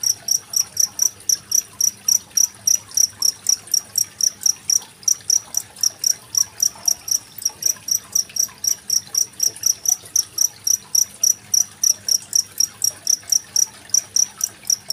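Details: Steady calling of a genggong cricket beside trickling water, dated Saturday 25 February 2023, meant as song material for competition birds. High, ringing chirps keep an even rhythm near four per second throughout.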